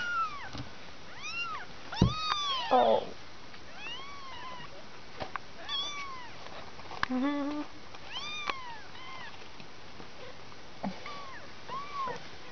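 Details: Litter of five two-week-old kittens calling indoors: a busy run of overlapping high, arched meows, some short and chirpy, others drawn out, bunched early then scattered singly, with soft thumps and handling noises between.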